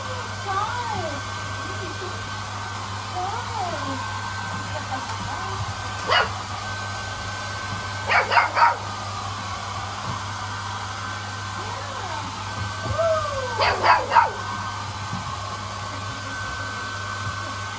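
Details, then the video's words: Golden Retriever puppies meeting a hair dryer for the first time: short, sharp yips come in bursts at about six, eight and fourteen seconds, with thin rising-and-falling whines early on, all over the steady hum of the running dryer. "Golden Retriever puppies get to know the hair dryer"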